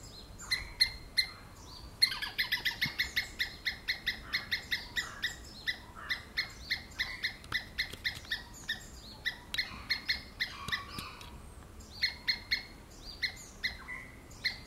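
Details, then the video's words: Screaming squirrel giving long runs of shrill, clipped chirps, at times fast and dense, at times spaced, with some softer slurred calls overlapping; no other clear sounds. "Squirrel Screaming"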